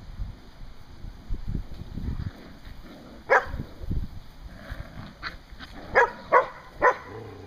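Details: Standard Poodle puppies at play in a newly built yard playpen with adult poodles Kasha and Mitsy giving play and hunting lessons; a single sharp bark, then a quick run of three or four short barks near the end over soft rustling.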